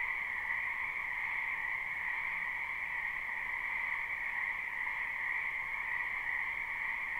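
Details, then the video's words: Spring wetland frogs in full chorus, recorded live without looping: a constant, even drone of countless overlapping croaks in two steady pitch bands, no other sounds. "Ambient Noise for Sleep Frogs"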